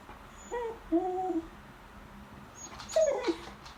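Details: Begging at the lunch table, a female beagle gives a soft whimper, then a longer steady whine, then a sharper falling yelp in a quiet indoor room.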